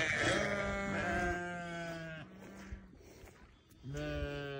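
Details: Newborn lambs bleating: long, steady, harmonic-rich bleats, the first wavering and lasting about two seconds, a lower held bleat following, then a short quiet gap before another bleat starts near the end.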